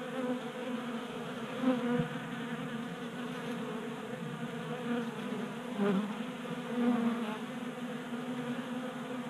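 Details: Many honey bees hum at a 3D printed feeder in a Colorado garage, active on a warm January day; steady droning buzz with several louder swells as individual bees pass close.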